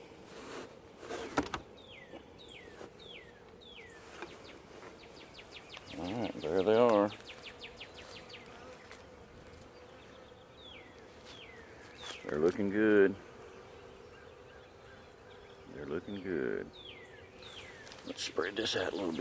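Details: Western honey bee (Apis mellifera) swarm, caught the previous day from a dogwood tree and kept under a sheet overnight after light rain, drones in a steady low hum as it is uncovered the next morning and released to forage; a man talks over it.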